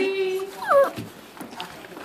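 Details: Pembroke Welsh Corgi puppy among a group of corgi puppies at the breeder's: a steady, held whine, then a sharp rising-and-falling yelp, followed by softer whimpers and faint background noise.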